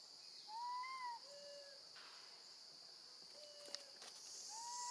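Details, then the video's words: Baby monkey crying out for her mother after being left alone with her grandma: a series of pure, wailing calls, some arched and some flat and lower, separated by short pauses, against a steady shrill insect background. "Baby monkey screams loudly, calling for her mom when left alone with her gentle grandma"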